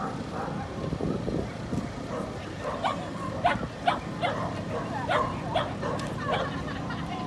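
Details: Puppy Corgi, female, Inage, Chiba, Japan, 23 February 2019, starting quietly, then breaking into a run of quick, piercing yaps, about eight short barks in close succession, with a persistent low droning background.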